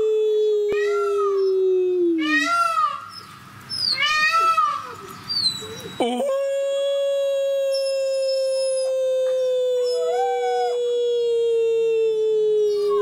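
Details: Eight-week-old wolf pups at a discovery zoo in captivity, howling for the first time during socialization: a falling howl, then a burst of overlapping wavering yelps and cries, followed by a long, level, sustained howl of several seconds.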